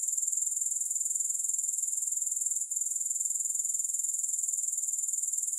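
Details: Grasshoppers give an unbroken, shrill, rhythmic buzz of fast regular pulses with a single tiny gap midway. No music.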